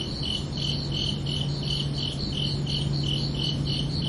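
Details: Summer-night crickets keep up a regular, high-pitched chirping, each short pulsed burst following the last at roughly three per second, while a steady low drone runs through the background.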